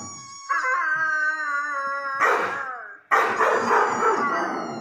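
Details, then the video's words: Irish Red and White Setter howling: three long, wavering, tonal howls in quick succession, the first steady, the second sliding downward at its end, the third louder and rougher. "Howling Irish red and white Setter"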